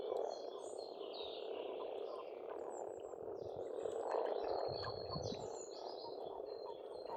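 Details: Frogs at an Estonian pond in spring keep up a dense croaking drone, while several birds sing busy, high twittering phrases that run almost without pause across the recording.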